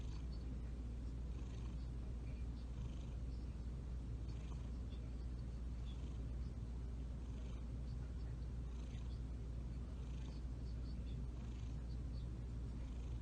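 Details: Pet cat kneading and purring, the low vibrating rumble unbroken and even throughout, with light scattered rustles and taps over the top.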